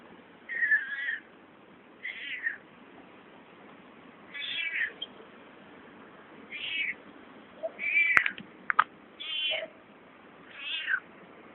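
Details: Found cat making weird noises: short, high, strained meows repeated about every two seconds, each a brief rough burst, with a sharp click near the middle and light background hiss.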